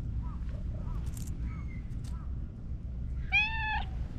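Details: Emerging from behind a hedge, a friendly orange tabby cat gives one clear, sustained meow near the end, level then dipping. Faint chirping sounds come earlier, over a steady low background rumble.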